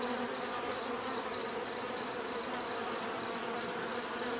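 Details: Short stretch of bees buzzing: a uniform, busy drone with a deeper hum beneath and a steady high whine, no pauses or other clear sounds.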